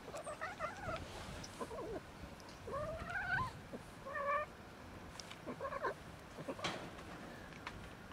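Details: Female domestic cat meowing and making odd noises while being touched; several short harmonic meows with rising then falling pitch, some strained and wavering, spaced irregularly across the recording, over faint background rustling.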